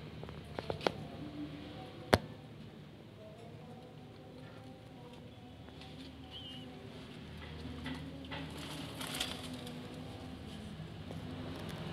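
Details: Soft tapping and rustling over a low indoor hum, with a few sharp clicks and no clear animal voice.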